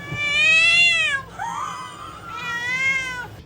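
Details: Orange domestic cat giving three drawn-out, strongly harmonic meows: a loud, steady first cry, a softer, bending middle one, then a long, wavering final meow, with a faint low hum underneath.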